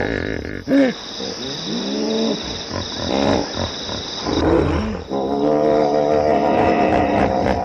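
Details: A hippopotamus gives harmonic, arching honks, some bending upward then down, followed by a longer sustained braying call over a constant background hiss.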